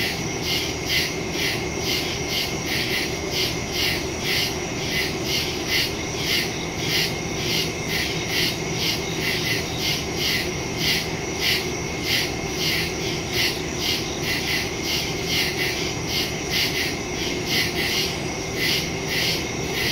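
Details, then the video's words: Night woods cricket chorus from a September phone recording with stereo microphone: dense, rapid pulsed chirps, more than two per second, over continuous high-pitched insect buzz. "Crickets in the woods at night"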